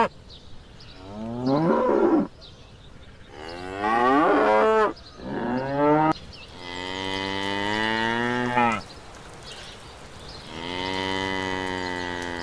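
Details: Cattle mooing in a farm setting, several drawn-out lowing calls of varied pitch, some rising and cracking, one long steady moo lasting about three seconds, with calls overlapping at times.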